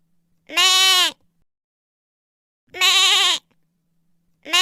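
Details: Repeated bleats from a lamb: bright, slightly trembling calls, each about half a second long, spaced around two seconds apart with clean silence between them.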